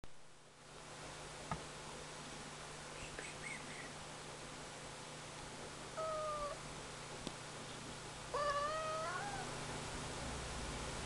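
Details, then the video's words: Ragdoll cat meowing indoors: two short, clear, slightly falling meows several seconds apart, the second longer and louder, over a steady low hum in a quiet room. "Ragdoll cat meowing"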